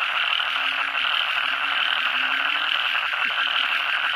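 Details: Night chorus of kodok bangkong toads and other frogs after a heavy downpour, many voices blending into an unbroken, even mass of quick rattling croaks with no single caller standing out.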